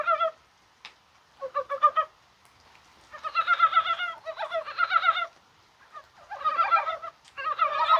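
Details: Rainy January 21st, mild as spring, with mountain frogs calling in dense, overlapping clucking bursts. Rapid pulsed croaks run almost continuously, broken by brief pauses.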